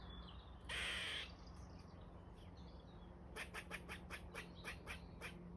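A squirrel calls with a single coarse, rasping note, then, after a pause, a rapid string of about eight hard, scratchy chucks, several each second. A low steady hum runs underneath throughout.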